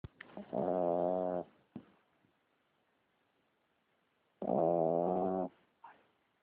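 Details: Small pet dog, a puppy said to have a very bad snoring problem: two loud, nasal, tonal snores about one second long, about three seconds apart, each with a short snort after it.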